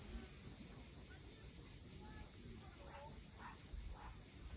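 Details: Cicadas droning at sunset on the cliffs of Cape Fiolent, Crimea: a constant high-pitched hiss-like buzz, joined by several short faint bird chirps and the low wash of the sea.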